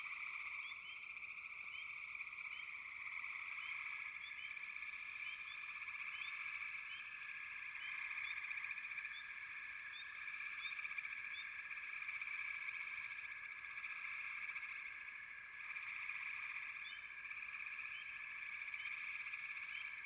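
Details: Many frogs trill together without a break. The dense, high, buzzing chorus rises and falls slightly in intensity, and scattered sharp chirps stand out above it.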